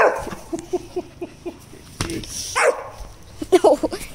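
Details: Four-month-old Rottweiler puppy angry at a bucket: a run of short, low, gruff yaps about every quarter second, then a pause and a few louder, harsher barks, with clattering in between.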